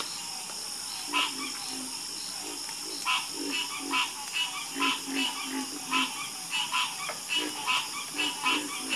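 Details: Chorus of frogs croaking, with short harsh croaks that come in uneven bursts, roughly one per second, some answering each other, over a steady high-pitched buzzing hum in the background.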